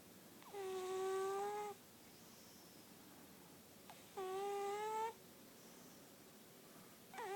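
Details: Lily Bean, a sleeping cat, snoring indoors: steady whistling, harmonic nasal tones about a second long, each holding a level pitch, returning roughly every three seconds over a quiet room hush.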